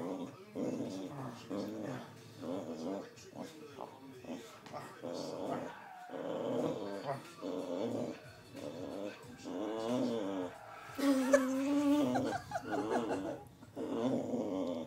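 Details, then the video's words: Boxer dog playing tug-of-war indoors, a rare growler that slips into high notes; continuous run of throaty growls and grumbles with wavering pitch, a brief high whine near the end, and a person speaking briefly. "Boxer making funny noises in tug-o-war"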